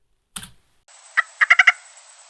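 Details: Plain stream frog giving five short, croaky knocking notes that speed up toward the end, after a single soft click; birders hearing it in a wetland could mistake it for an odd bird.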